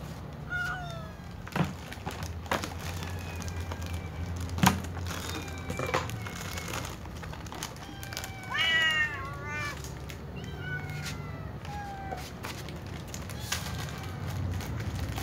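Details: Kittens and adult cats meowing while eating their food; several overlapping harmonic meows that rise and fall, bunched into a rapid run of cries around the middle, with scattered sharp clicks and a steady low hum underneath.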